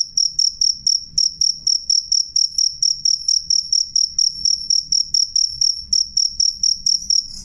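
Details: Jangkrik, a cricket, chirping clearly and loudly: a steady stream of brief high-pitched ringing pulses, roughly three to four each second, with a faint low background hum.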